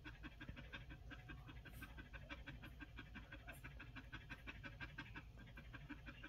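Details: Quick, regular panting from week-old Collie pups, soft rapid breaths repeating nearly three times per second over a low steady hum, with a couple of brief higher clicks.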